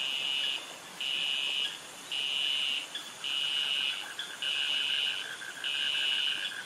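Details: Cicadas calling in jungle by mangroves in Krabi, Thailand: loud high buzzy bursts about half a second to a second long, repeated roughly once a second, over a steady insect hum with a fainter pulsed chirring lower down.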